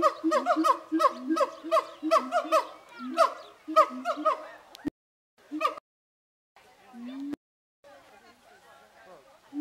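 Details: Captive siamangs at Zooworld, hooting and shouting at each other before Zoobilee: loud, rapidly repeated barking shouts with rich harmonics over steady low booming notes, about one call per second, then breaking off into quieter scattered calls and gaps.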